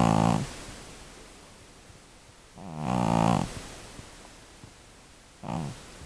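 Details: Elderly female cat, estimated over twelve years old, snoring loudly while asleep: three rough, rumbling breath bursts near the start, at about three seconds and near the end, over a steady background hiss.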